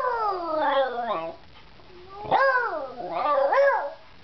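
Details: Beagle howling and singing indoors with a little persuasion: loud, harmonic-rich howls, first a long wavering wail sliding downward, then after a short pause two rising-and-falling howls.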